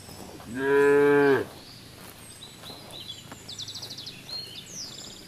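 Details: Cows grazing in the fields; one cow gives a single loud, full-throated moo lasting about a second, followed by quiet with bird chirps and small rustling sounds in the background.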